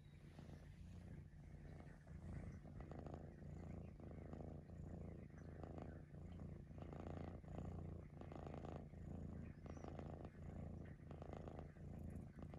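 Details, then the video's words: Maine Coon cat, a pet breed said to whistle, purring deeply and continuously. The rumble strengthens and eases with each breath, around every 1.3 seconds, growing slightly louder in the middle, with a faint click near the end. "Whistling Maine Coon cat"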